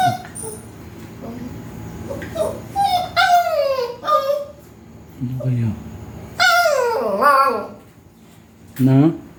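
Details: Seven-week-old agouti-line Siberian Husky puppies late at night in a garage: high whimpers and yelps that slide downward in pitch, coming in short bursts, with lower voice-like sounds in between.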